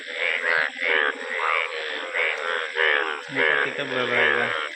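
Frogs croak in an overlapping chorus of buzzy, harmonic bursts, with a steady high insect-like whine behind them.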